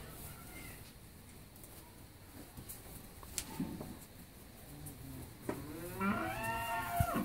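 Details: Nine-month pregnant Holstein Friesian cow at a Bangladeshi dairy farm in Pabna lowing once near the end, a rising then falling harmonic moo after a stretch of quiet shuffling and faint clicks.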